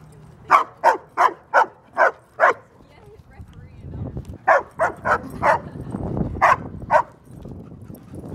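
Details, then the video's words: Female German Shepherd at a dog park, playing and seeking attention among a large male Doberman and a male Great Dane; sharp barks in a rapid run of six, a pause, then five more, with a man talking. "my 75 pound female GSD..LIVE!"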